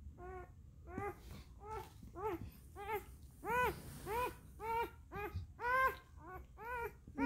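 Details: A one-day-old singleton puppy named Max, a German shepherd and Siberian husky mix, gives a steady series of short harmonic squeals, each rising then falling, about two per second, indoors in a small quiet room.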